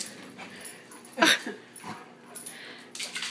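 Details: Two dogs at play indoors; one sharp, harsh growling yelp stands out amid softer snuffles and scuffling, with a woman's voice following.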